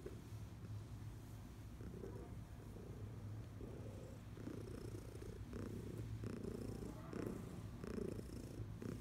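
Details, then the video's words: Senior domestic cat, a 14-year-old female adopted from a shelter, purring while being rubbed indoors; a steady low rumbling purr runs throughout with soft rhythmic swells of breathing. "Rubs and Purrs"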